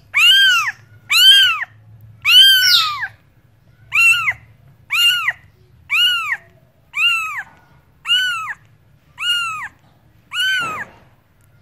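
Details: A cat meows repeatedly, about one call per second, arched tonal meows, the first few louder and longer, over a faint low hum and a brief knock near the end.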